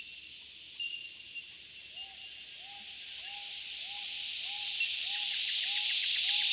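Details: Droning cicada chorus in the Australian bush in summer, building from a moderate hiss to a loud wash of sound, with a repeated clear lower note joining at an even pace.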